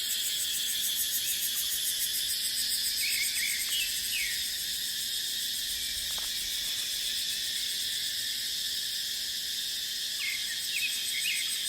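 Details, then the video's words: Cicadas in dry dipterocarp forest in the dry season make a steady, dense, high-pitched shrill drone with no breaks. Short rising chirps come from another caller near three and eleven seconds. "เสียงจั๊กจั่น สายลม ในป่าเต็งรังยามหน้าแล้ง"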